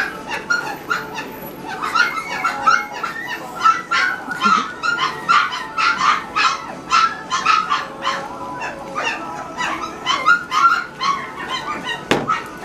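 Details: A litter of Great Pyrenees puppies eating dinner, a chorus of many overlapping high whimpers and yips repeated rapidly and continuously, about three to four per second, with a thud near the end.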